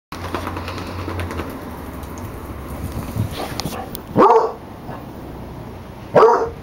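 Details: Female basset hound, once wild and now tamed and living among people, gives two short, loud, broadband barks about two seconds apart near the end, over a steady low hum and faint background noise.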